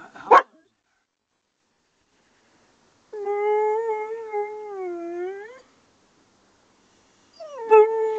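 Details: Pet dog Luna, riding a small fishing boat on Lough Neagh, howls in response to distant barking dogs: a sharp yip, silence, then a sustained slightly wavering howl of about two and a half seconds, and another howl beginning at the end.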